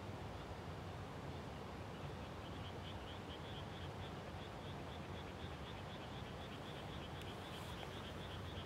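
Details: Frogs calling at dusk just after rice planting in the countryside, 30 May 2021: a steady train of rapid, high, evenly spaced pulses runs through the clip over a dense low rumble of wind-like noise.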